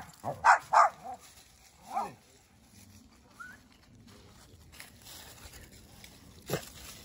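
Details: Dogs fighting by a campfire: a rapid burst of four or five sharp, harsh barks in the first two seconds, one more bark after a short pause, then a quieter stretch of rustling before a final sharp yelp near the end.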